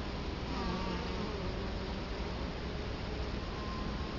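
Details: Close to the entrance of an Italian honey bee hive in Colorado Springs in October 2011, a continuous low buzzing drone of many bees, with brief higher whining tones as individuals pass.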